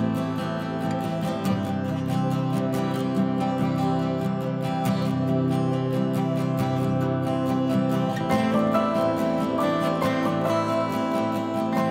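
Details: Continuous strummed acoustic guitar music, with no animal sounds heard.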